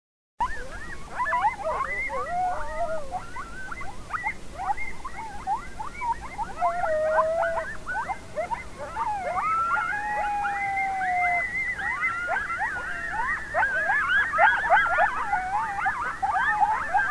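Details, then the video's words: Coyotes calling at sunset in an Arizona desert valley, a busy chorus of high, quavering yips and short sliding howls. "Coyote Calling In Arizona Desert"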